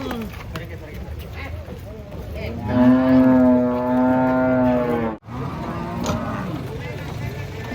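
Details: Cattle being unloaded from a truck at a market: a long, steady low moo with rich harmonics lasting about two and a half seconds, over background chatter and crowd noise.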